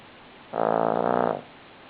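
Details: One loud, rattling snore close up from Buddy, a sleeping Cavalier King Charles Spaniel, lasting under a second with a fluttering, vibrating texture.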